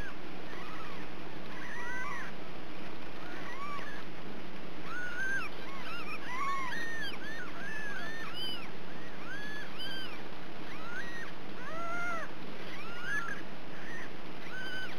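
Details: Ragdoll kittens raised uncaged in a home cattery in central Kansas, giving many high, arched mewing calls in quick overlapping succession, about one a second, several voices over a steady background hiss.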